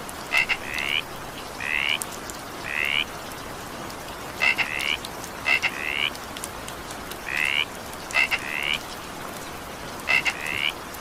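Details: Frog croaking in the evening rain, with rasping upward-sliding notes and sharp double clicks in loose alternation, heard through the constant wash of rainfall.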